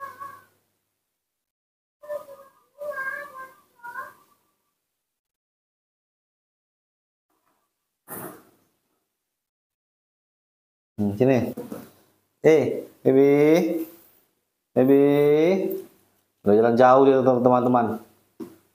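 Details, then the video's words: Newborn baby monkey screaming for milk: a run of loud, wavering, harmonic-rich cries, each around a second long and repeated with short gaps, after a quieter opening with a few soft noises. "the sweet sound of newborn baby monkeys calling and scr ea ming for milk"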